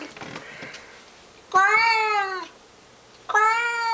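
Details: Mr Mittens, a pet cat, bellows a battle cry at a stray cat skulking around the bushes outside: two long, drawn-out harmonic yowls, each holding steady then sagging slightly in pitch, separated by a quiet pause.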